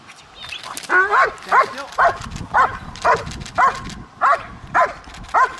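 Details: German Shepherd from a Kraftwerk K9 training kennel barking in a steady series, about nine sharp harmonic barks roughly every half second after a brief pause, with a handler calling out beforehand.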